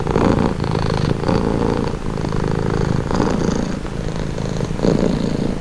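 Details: Close, steady purring from a pet cat, heard as a soothing low buzz that swells and eases with each breath about once a second.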